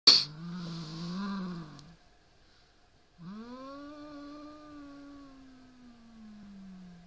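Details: Siamese cat growling at a rat toy: a low, wavering drawn-out growl, a short pause, then a longer moaning growl that slowly falls in pitch, with a rich harmonic, nasal tone.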